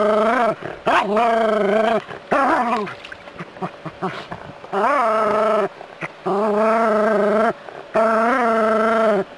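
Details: A pet Jack Russell terrier living in a city confronts a non-venomous rat snake, giving long, drawn-out, tonal whining barks of about a second each, broken by short yelps and brief pauses.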